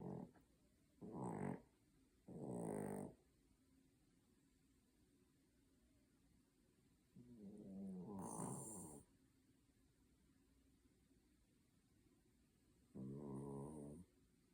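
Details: A poodle asleep, producing humanlike snores: rough, low harmonic rasps of uneven length, two close together early, then longer pauses before each further snore.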